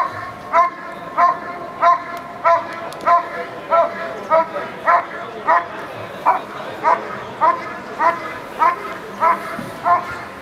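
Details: Dog performing protection work at the 2014 NIAK trial, barking loudly and rhythmically. Crisp, evenly spaced barks about every 0.6 seconds continue throughout, with quiet background noise.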